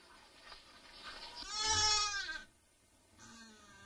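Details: Mating nutria uttering one drawn-out, bleating cry lasting about a second, rich in overtones and slightly wavering in pitch, with a soft, fainter call trailing after a pause.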